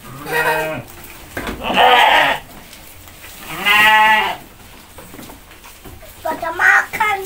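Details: Goats being hand-fed by a boy and his mother, eating eagerly; several wavering, harmonic bleats, each under a second long, come in between bursts of nearby conversation.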